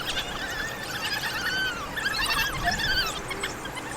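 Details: An African wild dog pack in Kruger National Park gives high, bird-like twittering squeaks overlapping in an excited chorus while feeding pups by regurgitation.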